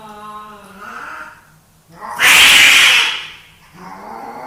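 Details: Two male house cats in a dominance fight: a low wavering yowl, then a loud harsh hissing burst, followed by another rising yowl.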